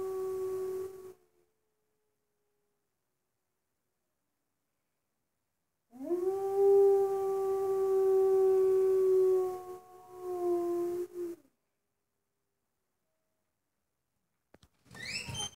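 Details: Wolf at Northwest Trek, 2019, answering two other wolves, recorded through a cabin window: steady held howl notes, a long silence, then a rising howl held for about four seconds, followed by a shorter tone and a brief final sound.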